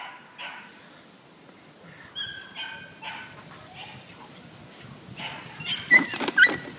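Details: Female Malinois puppy, Hannah des 2 Sabres, two and a half months old, LOF-registered, in early bite training for ring or mondioring. Several short, high-pitched yappy barks spaced over the first seconds, then louder scuffling and tugging noises near the end.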